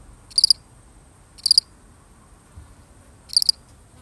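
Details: One solitary cricket chirps in a real recording, each brief high chirp made of a few rapid pulses, three chirps spaced about a second or more apart against quiet low hiss.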